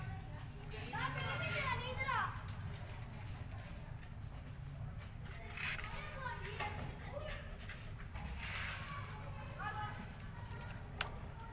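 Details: Rescue kittens with a nursing cat who keeps them warm and mothers them. High, arching, harmonic mews cluster in short bursts early and mid-clip over a steady low hum.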